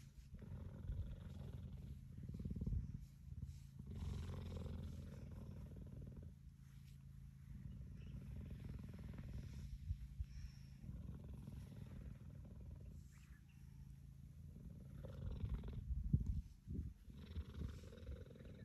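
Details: A cheetah lies resting on a man's knee and purrs steadily: a deep, throbbing, low rumble held through the whole stretch, rising and easing in waves, with faint rustling nearby.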